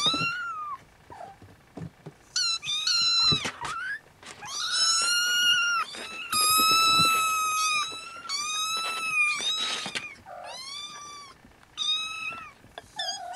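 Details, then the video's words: Nursing Siamese kittens with Snowshoe markings cry in a near-continuous run of about eight piercing mews. Most are long and level, some short and clipped, with only short pauses between them. "Siamese Kittens SnowShoe Nursing"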